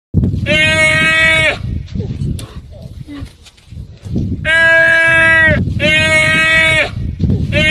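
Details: A goat stuck on a pole by its horn, giving loud, long, quavering bleats about a second each, repeated four times with short gaps, low rumbling noise underneath.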